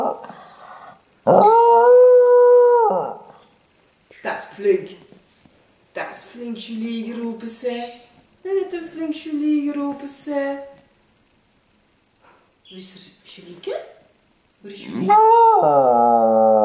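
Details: Jack Russell Terrier Bruce howling indoors when asked in Dutch "waar is julie" to call Julie; a strong held howl early on, then broken vocalizing mixed with human voices, ending in another sustained wavering howl.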